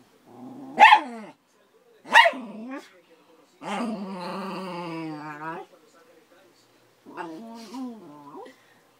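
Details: Thirteen-year-old schnauzer Dory, angry for no reason with Cora, a five-month-old Akita-Labrador puppy; two sharp barks, then a long harmonic growl-whine and a shorter wavering growl, with silent gaps between.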